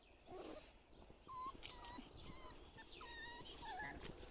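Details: Dog letting out a run of high, thin whimpers and yips, tonal and wavering, some bending up and down, packed into about three seconds over steady outdoor background noise with faint bird chirps.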